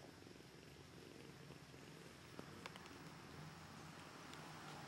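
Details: Feeding time for two hungry kittens, Socrates and Aphrodite: an unbroken low purring drone with steady noise behind it and a couple of sharp clicks near the middle.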